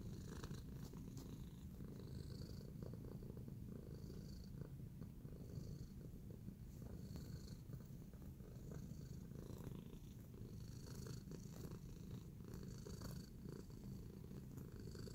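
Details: Kneading contentedly, Tacy the cat purrs in a steady low drone, rhythmic and unbroken for fifteen seconds, with soft scratchy rustles and small clicks from the kneading paws.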